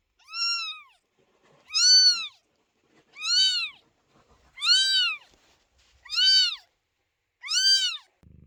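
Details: Loud, insistent meowing from kittens outside a door during their mother Chloe's labour: six strong, evenly spaced arching meows about once every 1.4 seconds, rich in overtones, with near silence between.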